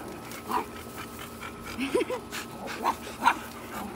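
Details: Tiny chocolate Chihuahua barking at big dogs, a husky and a boxer, gives a few short, high yipping barks, spaced irregularly.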